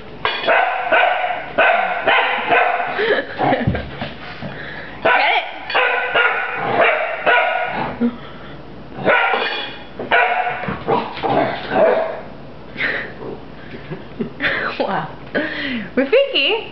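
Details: Puppy Rafiki attacks a broom with a steady run of high, sharp barks, some doubled or tripled in quick succession. People's encouraging voices mix in.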